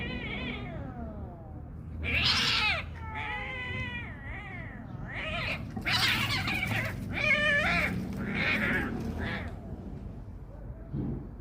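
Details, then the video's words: Kitten fighting another cat, with only the kitten vocalising: drawn-out wavering wails and harsh yowls rising and falling in pitch, some strained and noisy, continuing through the scuffle. "نبرد دو گربه… فقط صدای کوچیکه! A battle between two cats… only the kitten makes noise"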